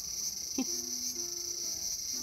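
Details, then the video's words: Small-garden cicada, August 5, 2020: an unbroken high shrill drone, with a single sharp click and some faint low humming tones underneath. "The sound of Cicada."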